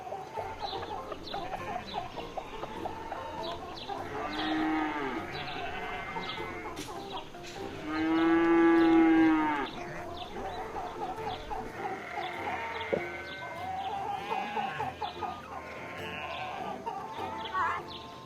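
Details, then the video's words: Cow giving one long, drawn-out moo near the middle that swells in loudness and then fades, over a busy farmyard background of repeated bird chirps and other livestock calls. "Som de Vacas"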